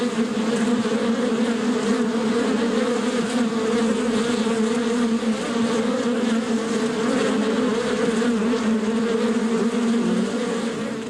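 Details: Bees buzzing outdoors in nature, an unbroken dense hum with steady low tones and a rushing wash of wingbeats throughout.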